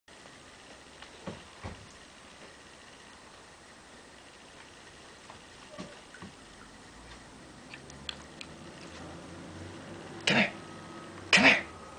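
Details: A quiet indoor room carries a steady hiss, scattered small clicks and two louder knocks near the end, with no animal call.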